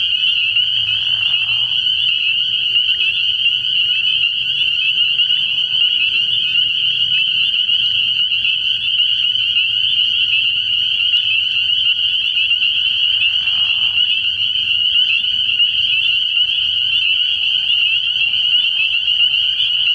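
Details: Frog pond at night early in the year, where massed spring peepers keep up a relentless high, shrill peeping chorus; two brief lower buzzy calls break through, and a faint low hum runs underneath.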